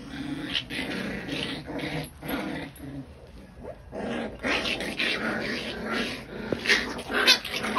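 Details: Scottish bull terrier, Scottish terrier and English bulldog puppies fighting: harsh growls and yelping bursts come in quick, irregular runs, with a brief lull midway before the scuffle picks up again.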